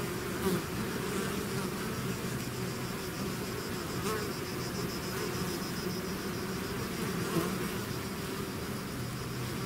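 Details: Continuous drone of a bee swarm emerging from its hive, a steady buzzing hum with low tonal bands, broken only by a couple of short louder buzzes as bees fly close by.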